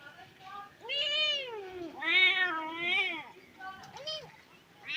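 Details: Stray kittens meowing loudly for their dead mother, crying in distress: three long, arched, wavering meows in close succession, then a shorter rising cry and the start of another.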